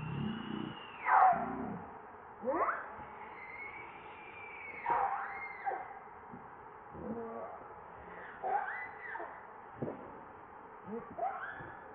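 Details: Repeated cries from baby monkey Leo, begging his mother for milk: high thin wails bending downward in sharp sweeps, roughly every one to two seconds, some ending in lower rough bursts, over faint hiss.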